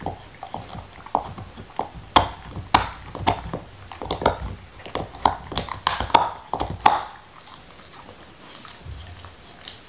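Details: Nixon, a black Labrador Retriever, gnawing his favorite beef bone indoors without talking: rapid bursts of crisp crunching and clicking bites, several sharp loud cracks, and wet mouth sounds between them.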